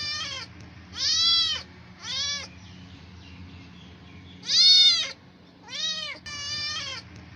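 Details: Stray cats asking for food to silence their hunger: a run of six loud, high, arched meows with rich harmonics, some short and some drawn out, coming in uneven bursts over a faint low hum.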